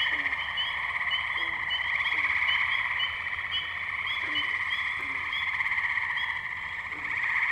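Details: Tree frog chorus in the wetlands of Firestone Park, Columbiana, Ohio, May 6, 2023, taken on a Zoom H2n: persistent rhythmic trilling from numerous frogs, with separate short low calls sounding roughly once per second.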